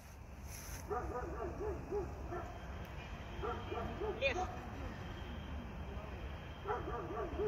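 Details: Ten-year-old Border Collie during a festive birthday training session with its trainer; three quick bursts of high, bouncing whine-like yips in rapid series, with the trainer's voice and indoor room noise.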